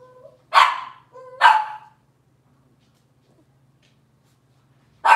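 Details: Cavalier King Charles Spaniel puppies, Robin's litter, in a kitchen: two loud, sharp yapping barks about a second apart, each led by a brief thin whine, then quiet before another bark begins; low electrical hum throughout.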